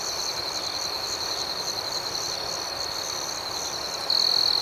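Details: Gentle nocturnal cricket chorus, high and continuous with faint rhythmic pulsing, until a close cricket breaks in with a loud sustained trill over the last half second.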